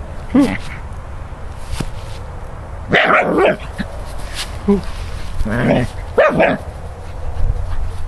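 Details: Scottish Terrier from San Diego playing with a pine cone for the first time, giving a few short sharp barks and yips spread over several seconds, with quiet background noise between them.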